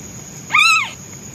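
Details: A single loud meow from a hungry newborn white male kitten looking for his mother, rising quickly then sliding down in one short arched cry lasting under half a second.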